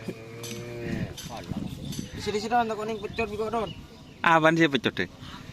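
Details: Cattle at karapan sapi bull race training at the Asemanis field in Pamekasan: long low harmonic moos, one at the start and a louder wavering one near the end, with voices and background music throughout.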